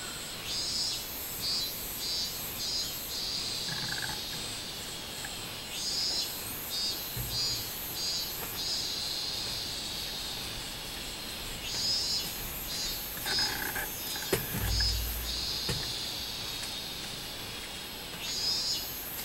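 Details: Minmin cicada song recorded 24 July 2016: a high, pulsing buzz in repeated bursts, broken by a few brief low thumps and knocks partway through.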